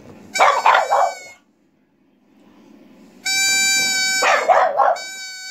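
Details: Pet French Bulldog Asya vocalises with a played pipe, adding harsh, ragged bark-yelps over the pipe's clear whistled tones in two bursts separated by quiet.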